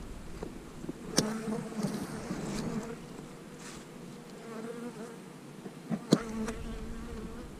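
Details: Honey bees humming while a beekeeper splits hives, March 2020, queen cells present in the splits; a steady, even buzz holding one low pitch with a higher overtone, interrupted by two sharp knocks of equipment.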